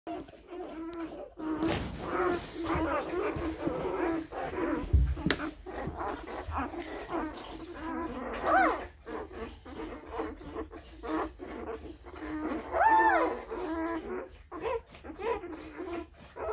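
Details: Tibetan Mastiff puppies only a few hours old, part of a litter of four boys and two girls born April 23, 2019, giving many overlapping squeaky whimpers and short rising-falling squeals with faint background noise.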